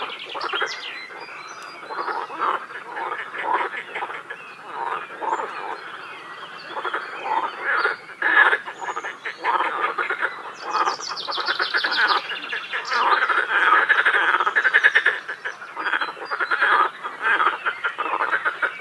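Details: A dense chorus of many frogs at a quarry lake in Feldkirch gives rapid, rattling croaks all at once.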